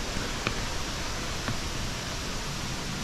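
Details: Steady broadband rainforest hiss in Bako National Park, Borneo, Malaysia, with a few faint clicks and light rustling; no animal calls stand out.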